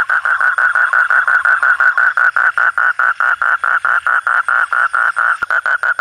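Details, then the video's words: Night frog calls: a steady run of short, mid-pitched croaks, about five each second, evenly spaced, with a faint high hiss in the background. "suara kodok/suara katak/suara bangkong"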